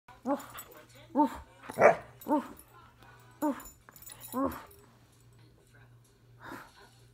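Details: Airedale Terrier barking while playing: a run of short, harmonic barks at irregular intervals, about six in seven seconds, with a low steady hum underneath.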